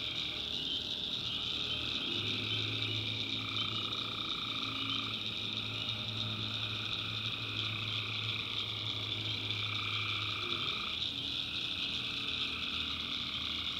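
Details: Tree frogs calling at night in a swamp in the backwoods of North Carolina: a dense, continuous high trilling chorus, with mid-pitched droning calls swelling and fading every few seconds and a low steady hum beneath.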